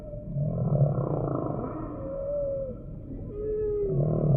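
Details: Deep humpback whale moans open and close the phrase, with two clear sliding whistled tones in the middle, one arching and one gently falling.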